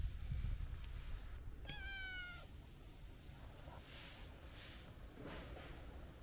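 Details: Stray tabby cat with a stocky, chubby build but a young, kitten-like voice gives a single clear meow of under a second, slightly falling in pitch, amid low rumbling outdoor background noise.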